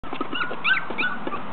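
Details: Four-week-old Poodle puppies chasing a pan, giving quick high squeaky yips and whines over a steady background hum, followed by a person's coaxing voice.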